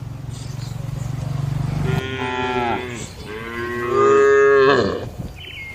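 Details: Cattle in a traditional village shed at night: a low rumbling hum, then two drawn-out harmonic moos back to back, the second louder and sustained before fading.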